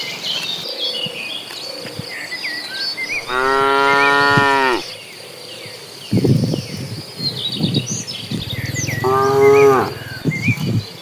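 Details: Cattle crowding along on their way to green pasture: a long, rich moo, a stretch of shuffling and thumping, then a second, shorter moo, with birds chirping overhead.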